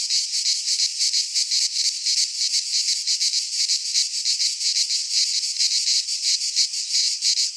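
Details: Cicadas in a pine forest of Greece during midsummer, a continuous harsh, high-pitched whirring song pulsing about three times per second, steady and loud.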